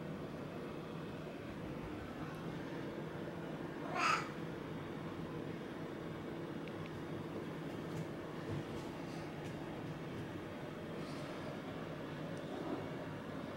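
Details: Affectionate pet cat, standing on two legs and rubbing up while asking for attention, gives a single brief meow early on, then steady low indoor background hum with a few faint soft clicks.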